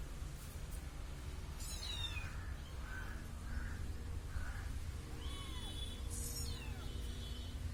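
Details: A little kitten trails after a person, giving three soft, brief mews in close succession midway. Sharp high twittering bird calls come before and after, and a faint low hum runs throughout.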